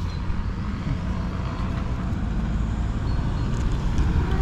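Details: Continuous low rumble of passing road traffic outdoors, with no animal voices.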